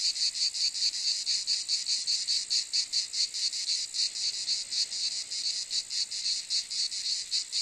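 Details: Cicada calling: a dense, high, hissing buzz made of rapid pulses, rising and falling in loudness about once a second, steady throughout with no other sounds.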